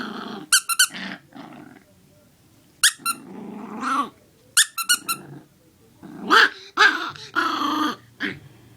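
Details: Bear, a six-week-old Chiweenie puppy, angrily attacks his squeaky squirrel toy indoors: low rumbling growls come in short bursts, mixed with sharp, high, stacked squeaks from the toy and brief pauses between attacks.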